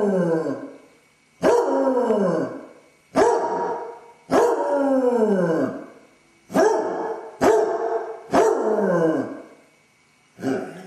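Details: Left alone in the house, the basset hound Dodger bays repeatedly from separation anxiety: eight or so loud, abrupt, downward-sweeping howling barks, some longer and wavering, spaced about one to one and a half seconds apart.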